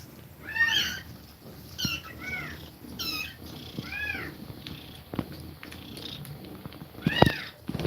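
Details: Nursing mother cat with her kittens; several short, thin mews arch up and down in quick succession, some overlapping, with soft clicks and rustling between calls.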